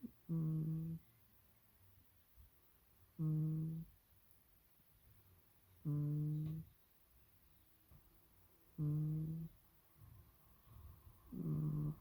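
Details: Sleeping cat Supes gives a series of five low, buzzy hums, each lasting under a second and repeating about every three seconds. Quiet room tone fills the gaps.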